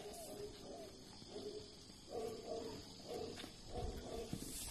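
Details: Snow White, a white Tibetan Mastiff, gives short, low tonal moans in paired bursts about every half second, with pauses between groups, over a steady background hiss.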